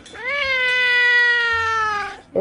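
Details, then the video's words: A cat gives one long, drawn-out meow lasting about two seconds. It rises briefly at the start, then holds a steady, slightly falling pitch before fading. A voice starts speaking right at the end. "cats meowing kittens cats singing"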